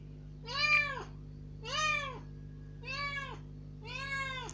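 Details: Rescued kitten, about three days after being taken in, first let out of its cage into a room, meowing loudly and plaintively to demand more: four arched, harmonic meows about one per second, against a steady low indoor hum.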